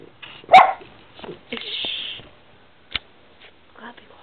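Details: Snow, a pet dog on a bed squabbling with the camera, lets out one sharp, loud bark. A person then talks to her, telling her she'll fall off the bed, and a single click follows.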